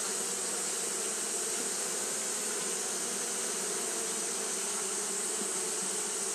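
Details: On a hot day, Japanese honey bees keep up their fanning, giving a dense, unchanging buzz of many wings and a high, continuous hiss throughout.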